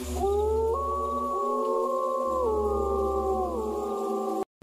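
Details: Wolf, said to live in the jungle, both wild and kept, in a children's lesson: one long, smooth, tonal howl that rises in a step, holds level for several seconds, then drops off, over a steady low musical drone.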